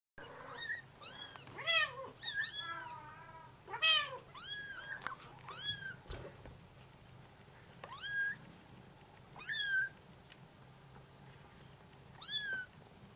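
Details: Bengal kittens calling for their mother while she is away on a short walk: a rapid series of high, arched meows with strong harmonics, several overlapping, then spaced single cries every couple of seconds.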